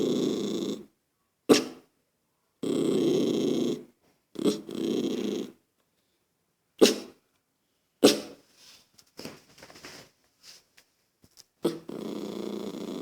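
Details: Lucky, a toy poodle annoyed by a little girl's noise, gives repeated low rough growls broken by sudden sharp barks, then a run of softer snorts and huffs before a final growl. A woman's voice is heard nearby.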